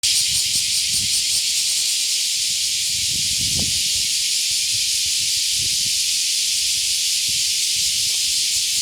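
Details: Cicadas on a summer morning walk with a dog: a dense, continuous high-pitched hiss, unbroken throughout, with faint low thumps and rustling underneath.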